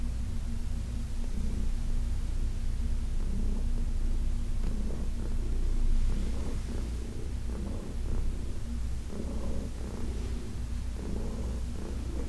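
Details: Heidi, a senior cat adopted from the Humane Society of New York City, purring during a massage on August 4, 2021; a low, steady rumble with faint breathy pulses and soft rustling.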